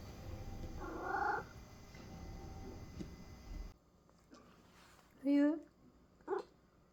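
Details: American Curl cat, a chatty pet whose voice shows its feelings clearly: a soft mid-pitched mew near one second over room hum, then after a cut a louder harmonic meow around five seconds and a short chirp.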